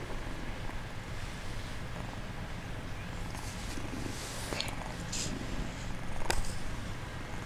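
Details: Bengal kitten feigning sleep, purring in a continuous low rumble, with a few soft rustles and brief handling noises over it.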